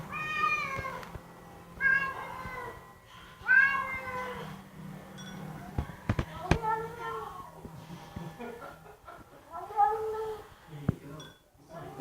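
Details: Bengal cat, female pet, making vocal noises while eating her dinner indoors; short harmonic mews and murmurs of varied pitch rise and fall between pauses, with a woman speaking softly to her over them.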